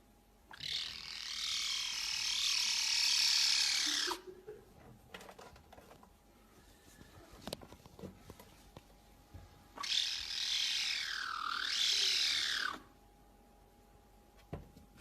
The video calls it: Lynx kitten making noises